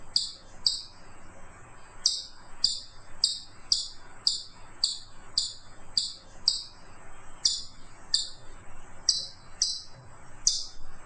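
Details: Chipmunk calling with a long run of shrill, high chips, each a quick falling note, repeated every half second or so after a short early pause. Nothing else is heard clearly.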